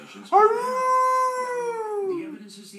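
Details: Pet dog, new to the household, howling in response to its owner's coaxing howls: one sustained, clear tonal howl of about two seconds that rises slightly, holds steady, then sinks and fades.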